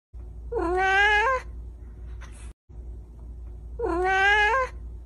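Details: Domestic cat with big eyes meowing twice, each meow a drawn-out rising then level harmonic cry about a second long, separated by a pause with a faint brief click between them.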